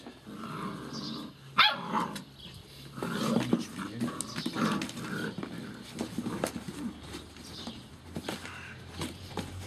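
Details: Gordon Setter puppies play and clamber over a cardboard box. Short growls and squeaky yips break through the rustling, thumping and scraping of cardboard, with bursts of scuffling throughout.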